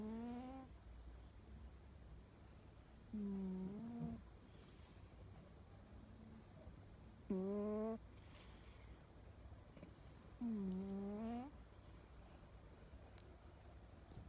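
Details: A cat asleep indoors snores in slow rhythm. Short, buzzy, whistling nasal snorts that swoop slightly upward come roughly every three to four seconds, with faint hiss and soft shuffles between them.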